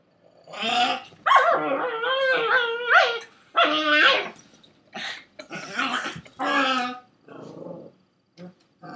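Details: A Pekingese harassing a Pekingese/shih-tzu mix gives a run of high, whiny barks and throaty grumbles in uneven bursts.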